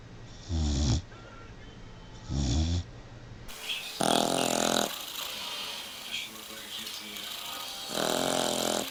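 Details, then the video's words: Snores from sleeping puppies, low rasping breaths every couple of seconds, followed by louder, brighter snorting bursts with some background noise in a small room. "Snoring puppies"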